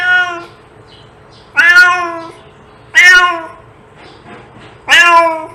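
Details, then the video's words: A domestic cat meows to attract cats, three strong drawn-out meows each rising slightly then falling, spaced about one and a half seconds apart, after an opening fading meow, with faint hum between calls. "Cat sound to attract cats"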